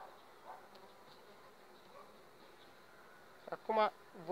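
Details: Honey bees of an overwintered colony developing on five frames, two weeks before the acacia bloom; a faint steady hum runs throughout, then a loud, harmonic close-up buzz swells near the end as a bee passes.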